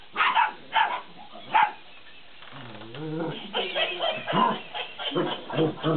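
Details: Belgian Malinois puppies, 50 days old, at play with a laughing cat toy: three high yaps open, then the toy's wavering mechanical laugh, followed by a jumble of yips and barks mixed with the toy.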